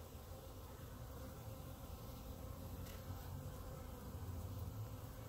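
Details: Massed honey bees in a clump on the grass near the hives, a deep, even wing drone weighted to the low range, steady and unbroken.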